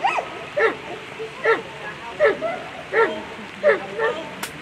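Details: German Shepherd at a world agility championship barking steadily, short harsh barks coming about once every second, with faint background voices.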